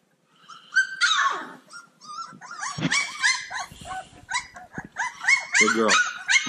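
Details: Several playful Cane Corso puppies yipping together, with high, sharp, overlapping yelps in irregular bursts, some with wavering pitch, over about six seconds.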